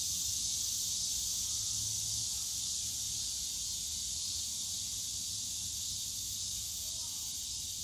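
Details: Summer cicada chorus from the Yongsan Family Park bamboo grove, an unbroken hissing, high buzz holding level for the whole stretch, with soft low park hum underneath.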